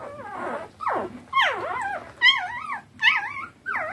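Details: Eleven three-day-old standard wire-haired dachshund puppies rush to feed from their mother after a bed change. They give thin, high, wavering whimpers under a second long, with several pups overlapping in siren-like squeals.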